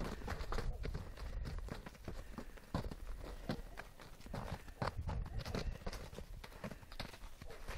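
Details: Horses galloping through snow: dull, muffled hoof thuds landing in quick, uneven bursts, low and heavy, with short sharper knocks cutting in now and then.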